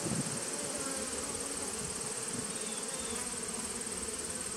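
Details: Bees in a 2017 nuc on 19 September 2018 give a constant low, buzzing hum, with a short knock at the very start and a broad hiss over the whole recording.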